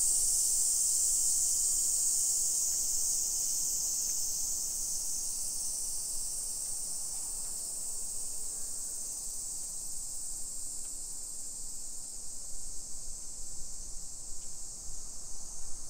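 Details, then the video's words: Midsummer cicadas, Nisshin suburb of Nagoya, Aichi, Japan, on the afternoon of 28 July 2021: a loud overlapping buzz opens, its brightest strand fading after a few seconds and leaving a steady high drone with faint ticking sounds. "Summer Cicadas Sounds"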